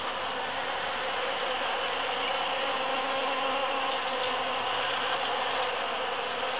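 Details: After the June 22, 2013 Super-Full Moon, bees busily forage through huge cactus flowers; their combined wings give a soft, constant buzzing hum with a faint lower drone passing midway.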